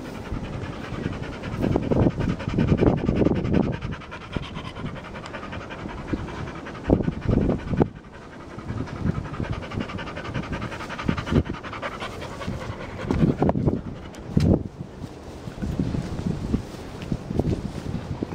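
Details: Jose, an English Springer Spaniel, rolls in the grass after his shampoo, breathing in rough, irregular panting huffs amid steady low rumbling and crackling grass sounds.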